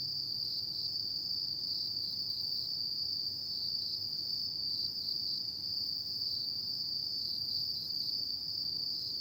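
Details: Continuous high, thin trilling from autumn insects at night, unbroken and uniform in loudness with subtle rapid pulsation. Soft low background noise is also present.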